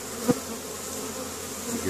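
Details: Spring foraging honey bees returning with pollen at hive entrances in Caribou, Nova Scotia, Canada, 10 May 2015; a continuous low droning hum broken early by a single sharp knock.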